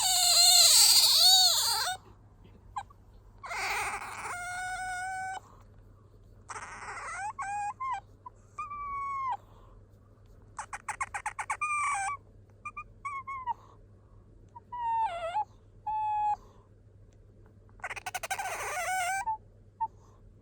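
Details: Bingo, a pet otter, calls out when sleepy or wanting to be fussed over; once chirping like a small bird as a youngster. A series of high wavering squeaks and whines, some loud and warbling, separated by short silences.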